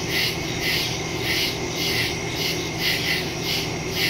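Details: Crickets in woods at night, recorded September 2, 2023 on a Samsung Galaxy S22 Ultra phone with a Shure MV88+ stereo microphone: dense overlapping high chirps pulsing roughly twice a second over a steady insect hiss.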